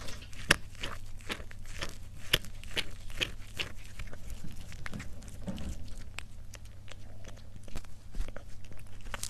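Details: Cat eating indoors in a close-up ASMR mukbang recording: sharp, irregular crunching bites and chewing clicks over a steady low hum, with a softer scuffing stretch midway.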